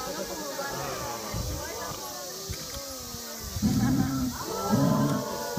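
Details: A South African fur seal at a zoo in Saitama, Japan, on 28 August 2016 gives loud, harsh, harmonic bawling calls, with people talking nearby.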